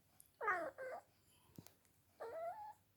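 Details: Female cat, sleepy and carried around indoors, makes a quick pair of wavering, baby-like mews, then after a pause a third longer, slightly rising meow; a faint tap sounds in between.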